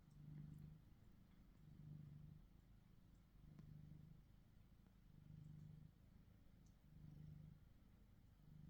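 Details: Steady low purr from house cats Tom and Charlie, a black-and-white shorthair and a gold British Shorthair, both male, recorded on a Samsung Galaxy S23 Ultra; rhythmic rumbling that rises and falls about once per second.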